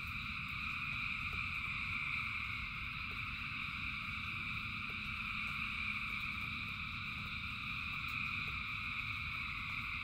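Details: Thousands of frogs sing through falling rain, forming a continuous layered hum of bright tones, while rain hisses low beneath and small drops click at uneven intervals.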